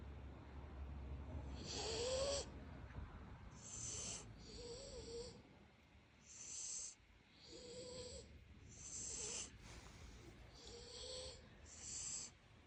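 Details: Puppies asleep and snoring, airy rasping breaths coming roughly every one and a half seconds, several carrying a soft nasal whistle; nothing else audible.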